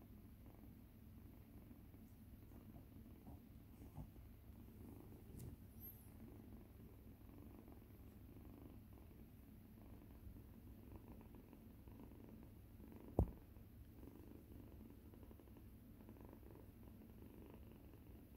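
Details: Rescued tangerine-coloured kitten playing with the big tail of the resident older cat Yuzu, indoors; a steady low purr rumbles throughout, with a few faint clicks and one sharp knock near the middle.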